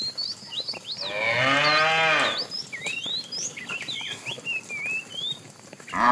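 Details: A fat tame cow in a herd being driven in the afternoon gives a long, deep, drawn-out moo calling the female, with small birds chirping around it.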